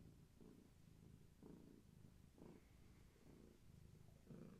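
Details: Gaia, a long-haired tabby carrying many kittens, purrs contentedly; soft low rumbles swell and fade in a steady cycle close to once per second.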